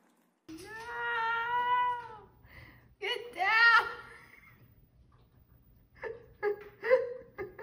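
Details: Domestic cat meowing indoors: a long drawn-out meow that rises and then falls, followed by a shorter second meow after a pause, then a few softer, brief chirping sounds, with a person talking in the background.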